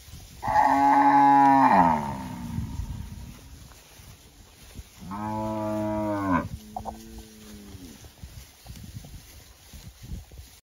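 A cow gives two loud, drawn-out moos with rich harmonics, the second ending in a lower trailing groan.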